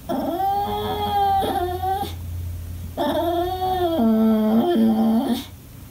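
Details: Indoors, an English Bulldog throws a fit for attention, producing two long tonal whimpering cries; the second drops in steps to a deep, held moan before breaking off.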